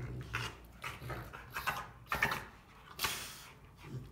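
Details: Rottweilers Clyde and Cruella playing rough: breathy huffs and short hoarse growl-like bursts spaced about half a second apart, with louder scuffling peaks.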